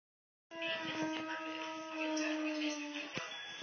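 A Dogo Argentino gives a long, steady howl that slides slowly downward in pitch.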